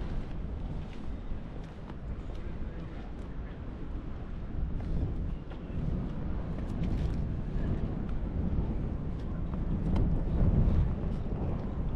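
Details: Steady wind buffeting the microphone at a fishing harbour with low engine rumble, no animal sound heard.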